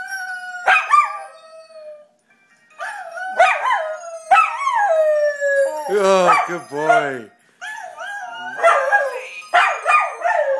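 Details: A pet Welsh Terrier sings along with its owner, giving a series of drawn-out, falling, wavering howls separated by short pauses. A person's voice joins partway through, and the howling and singing overlap near the end.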